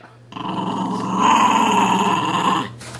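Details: Sonny the puppy growls during play with his dolphin pillow pet toy, a steady rough rumbling growl that swells louder midway and holds for over two seconds before cutting off.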